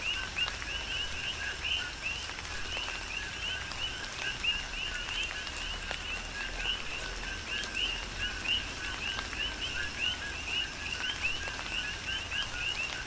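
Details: Chorus of many coqui frogs on the Big Island of Hawaii during a tropical rain shower, overlapping short two-note upward-sweeping chirps repeated continuously, with steady rain patter and scattered raindrop clicks underneath.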